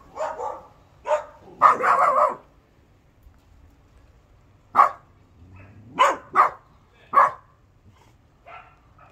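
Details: Bernese Mountain Dog puppy, born 17 October 2020, making its first attempts at barking: short, high, hoarse yaps and woofs, some in quick pairs, separated by pauses, in a quiet indoor setting.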